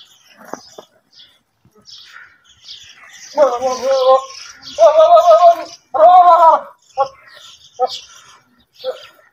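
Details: Goats out in wide open fields, giving three quavering bleats in quick succession over about three seconds, each with a shaky, vibrato-like tone, and soft clicks and rustles before and after.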